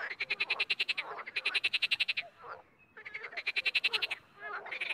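A frog chorus of rapid, rattling croaks comes in bursts of about a second, with short pauses between. Several callers overlap, giving a busy, pulsing sound that stops and starts again.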